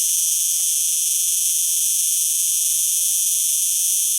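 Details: Cicada singing: an unbroken, dense, hissing buzz held at very high pitch for the whole stretch, steady in loudness and without pauses or rhythm breaks.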